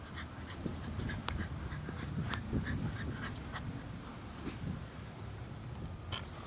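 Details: English Bulldogs Spike and Molly at play, nipping at their owner; rapid rough panting and snuffling grunts repeat quickly with brief higher yelps standing out.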